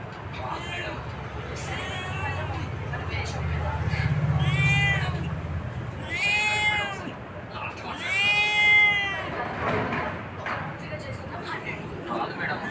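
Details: Domestic cat meowing repeatedly, about four long, loud, bending meows that rise and fall in pitch, each lasting around a second, with a person's voice talking in between and low background hum.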